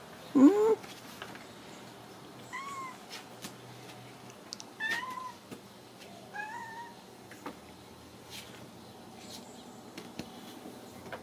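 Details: Ragdoll kitten indoors at a home cattery in central Kansas, raised without cages; one louder rising meow at the start, then several faint, thin, high mews spaced a few seconds apart over a quiet room.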